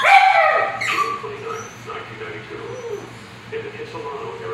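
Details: Three pugs trade wavering, mid-pitched yowls and moans that bend up and down in a speech-like way, as if talking, singing or arguing. A sharp yip opens the sequence, and a low steady hum runs underneath.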